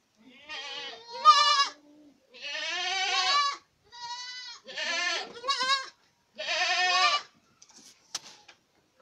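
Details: Boer goats at Acatlán de Osorio, Puebla, Mexico, giving a run of harmonic, wavering bleats of varied length, several animals overlapping, separated by short silences, with a faint click near the end.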